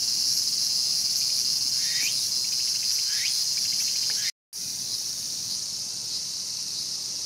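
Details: In Tokyo's Showa Kinen Park in 2020, where a mantis was caught preying on a cicada, a continuous shrill cicada drone is joined by a few short rising chirps. A brief dropout interrupts it.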